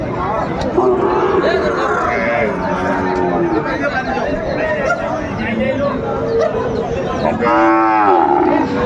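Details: Sahiwal bull at a busy cattle market in Dhaka, Bangladesh, on 16 May 2025, giving a loud rising moo near the end amid a crowd of men haggling over price and constant chatter.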